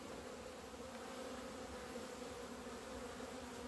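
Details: Honey bees on 17 February 2020 flying out to the sun for the first time in two months after winter; a thick, constant hum from many bees, level and unchanging, with faint soft rustling underneath.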